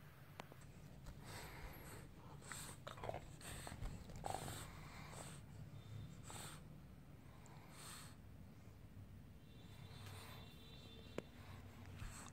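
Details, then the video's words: Sleeping French Bulldog indoors, giving repeated breathy snorts and snuffling bursts every second or so over a low, steady rumble of breathing. "Lovely french bull when sleeping"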